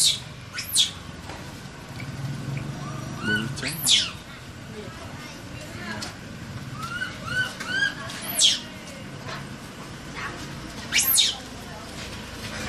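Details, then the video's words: Baby Asian macaque, trapped, crying and calling for help, extremely scared: four sharp, very high, shrill screams spread across about twelve seconds, with softer short arched chirping notes between them over a low background hum. "The Baby Monkey Was Trapped, Crying And Calling For Help"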